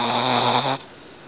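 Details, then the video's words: Boston Terrier snoring as she fights off a nap indoors: one low, buzzy, raspy snore lasting under a second, then quiet. "Cute Betty the Boston Snores"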